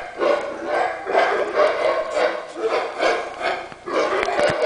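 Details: Howler monkeys in trees on a cave property in Belize bark at intruders, giving rough, guttural barks repeated about twice a second in a steady chorus.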